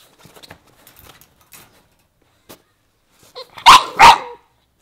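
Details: English Bulldog gives two loud, harsh barks in close succession near the end, preceded by soft scattered clicks and rustling.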